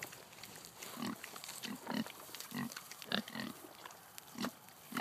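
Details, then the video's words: Kunekune pigs, a heritage breed kept as breeding stock, feeding on acorns: short low grunts repeated about every half second, some doubled, with faint crunching between them. "Acorns & Loud Appetites - Kunekune pigs"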